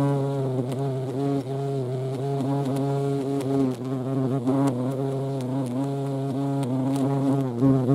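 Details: Low, continuous humming drone of a European hornet (Vespa crabro) at a feeding place, the pitch wobbling constantly with short ticks and small dips throughout.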